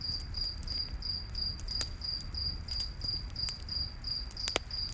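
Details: Cricket chirps repeat quickly and regularly, a thin high pulse about three times a second, set against the soft roar and occasional loud crack of a campfire in a forest at night.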